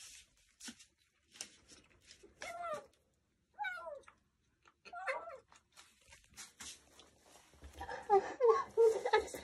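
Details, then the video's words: Rescued kitten, one of several found crying after falling into a dark sewer or lying lost in bushes for hours; three rising-falling plaintive meows spaced about a second apart, followed by rustling and handling noise indoors. "암흑같은 하수로에 떨어져 울고 있던 새끼고양이"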